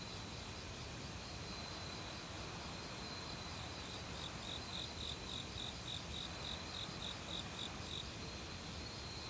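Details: Autumn forest cricket, one of many insects that began calling loudly a week earlier. From mid-clip, a long string of high, rapid chirps repeats steadily for about four seconds over the constant roar of a mountain stream.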